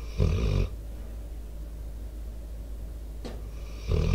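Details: Snoring of Debo, a four-year-old American Staffordshire Terrier/Pit Bull mix, recorded close to a microphone: a deep, raspy snore opens, then a long quiet pause with soft breath noise, then another rough snore begins at the end.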